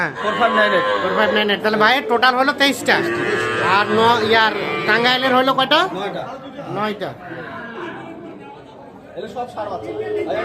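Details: Sahiwal bull calves at Ambari cattle market in Tangail, 13 January, lowing loudly in close succession during the first seven seconds, calls crowding over one another, with men talking prices nearby before the bellowing fades.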